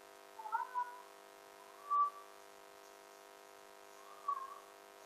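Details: Siberian Husky recovering from illness, waiting patiently indoors for its syrup medicine while a companion bothers it; three short, clear whining tones at a similar mid pitch, spaced about two seconds apart, over a steady electrical hum.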